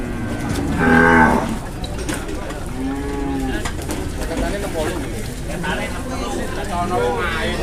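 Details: Cattle at the Muntilan livestock market in Indonesia, low drawn-out moos rising out of busy crowd chatter and market bustle, one loud lowing call near the start and a softer one a couple of seconds later.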